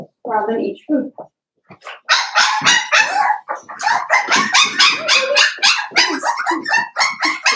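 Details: Seven-week-old blenheim Cavalier King Charles Spaniel puppies, a litter of five, barking in their indoor pen: dense, high, rapid yaps coming several per second after a short pause, with some talking early on.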